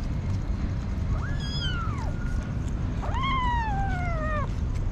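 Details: Hungry street kitten meowing twice, each call a drawn-out cry about a second long that rises sharply then slides slowly downward, with rich harmonics, over a steady low rumble.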